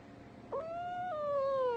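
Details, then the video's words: A cat utters one drawn-out meow, starting with a sharp onset, holding a steady tone, then stepping down and sliding lower toward the end, with faint room noise behind. "CAT COLLECTION 02!"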